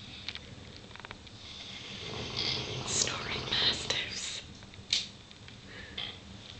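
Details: Tia, a Neapolitan Mastiff, snoring in the evening alongside Ben, a Dogue de Bordeaux. Breathy, rasping snores swell and fade over several seconds, with a faint human voice in the background.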